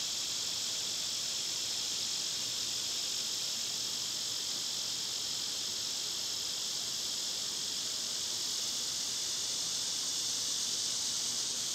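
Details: Cicadas singing in summer, loud at this season, in a yard visited by birds and squirrels: a constant shrill electric-sounding drone, steady throughout.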